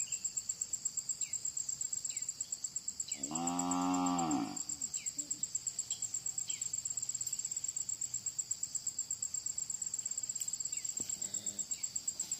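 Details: Cow about to give birth normally, calving. A single drawn-out, harmonic-rich moo lasting about a second and a half near the middle, over constant high, rapidly pulsing cricket trilling and scattered faint bird chirps.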